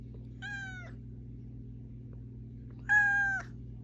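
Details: A cat meows to wake the person it lives with: two even, harmonic meows roughly two and a half seconds apart, the second much louder and slightly longer, over a quiet steady electrical hum.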